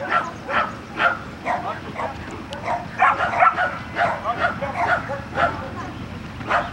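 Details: Barking Border Collie at agility practice in Guapimirim's Vale do Sol, Brazil, with quick, uneven bursts of sharp barks and yips throughout, bunched more densely in the middle.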